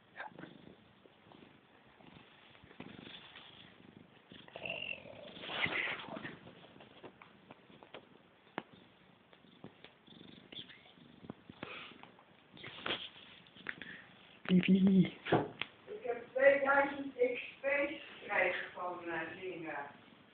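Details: Bred Siamese cats at a cattery, described as talking cats, with a run of loud, wavering meows stacked in bands near the end, after soft rustling and low purring; people talk nearby.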